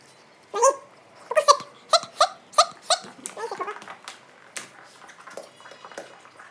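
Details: German Shepherd entertaining himself while his owners are away, giving a series of short, high, squeaky yips and whines, about eight in quick succession, then softer fading grumbles in a small indoor room.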